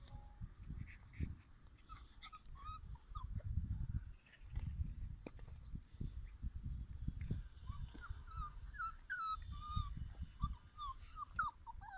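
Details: Puppies from litter E in a playground give thin, high whines and short yips that bend up and down, coming in bursts, mostly in the second half, over low rumbling handling and movement noise.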